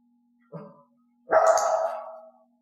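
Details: Dog offering barks on her own during training, without a knocking prompt, and being rewarded: a short low soft sound, then a loud drawn-out bark lasting about a second, with a steady faint hum behind.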